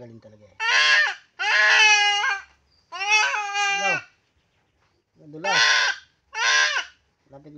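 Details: Goat bleating while being castrated: five loud, harsh, wavering cries, each about half a second to a second long, with short silent gaps between them and a faint low voice near the start and end.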